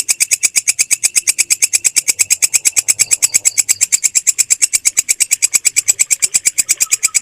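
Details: Clear walang kecek bush cricket song for training songbirds, a relentless rattle of evenly spaced high pulses about three each second, with barely any other sound.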